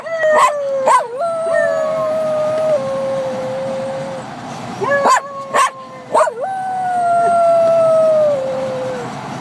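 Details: A Jack Russell Terrier, copying a person's howling and just discovering he can howl, gives two long, wavering howls, each opening with sharp yips before sliding slowly downward.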